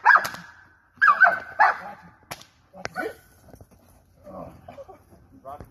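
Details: German Shepherd in personal protection work, giving three sharp, loud barks in the first two seconds, then quieter scattered barks and snaps, with sharp clicks or whip-like cracks and faint voices behind.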